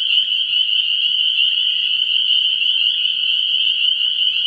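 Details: Vernal pool frogs in full chorus, 17 March 2016, early spring: a loud, seamless wall of piercing high calls holding one pitch throughout, slight flutter within the sound, quiet low rumble underneath.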